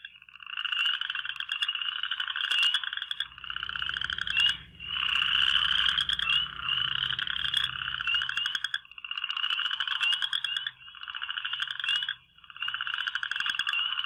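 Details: Western chorus frogs (Pseudacris triseriata) in a Michigan breeding pond in spring give rising, rasping trills, each one or two seconds long, like a fingernail run across the teeth of a fine-toothed comb.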